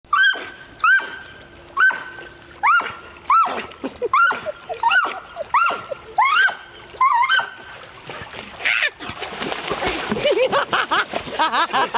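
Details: Doberman chasing a toy in a warm-water swimming pool in Spring, Texas, gives high, singing whines: about a dozen falling yelps repeated about every 0.7 seconds. Loud splashing and churning water then take over, and laughter follows.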